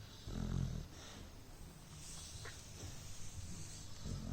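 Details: Beagle snoring during an afternoon siesta, low rumbling breaths with a louder snort near the start, then softer steady breathing under faint hiss.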